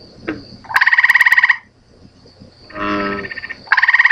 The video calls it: FROG SONG IDENTIFICATION: 2.avi